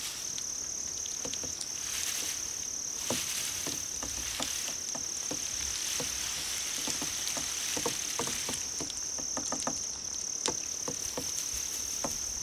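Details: Grass insects chosen to draw a cat's attention, giving a steady, unbroken high-pitched ringing trill throughout, with scattered soft clicks and tapping sounds underneath.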